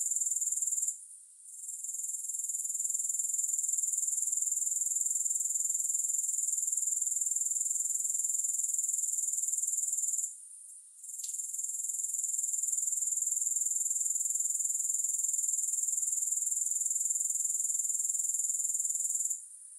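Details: Grasshoppers in a music-free recording meant for sleep and focus. A continuous, very high, rasping pulse train fills the clip, with short dips near the first second and around ten seconds, then a final fade.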